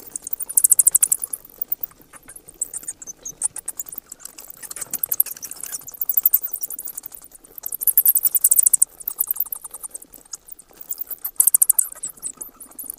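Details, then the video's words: Dense, shrill bat squeaking, almost entirely high-pitched, rising in loud clustered bursts roughly every two to three seconds over a steady twittering background. "เสียงค้างคาว Bat sounds"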